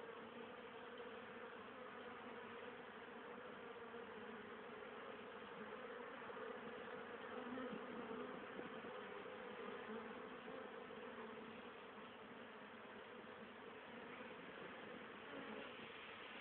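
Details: Many honey bees busy at their hive on 10 October 2010, foraging pollen and nectar for winter stores; continuous layered droning buzz, swelling slightly midway, with faint individual bees passing closer.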